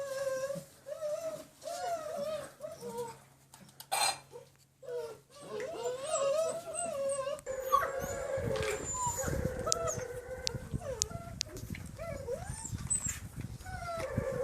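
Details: Six-week-old Von Forell German Shepherd puppies, line bred on Grim, on a slippery floor for the first time; overlapping high, wavering whines and yelps come in short bursts, with a brief quiet gap near the middle and scuffling noises.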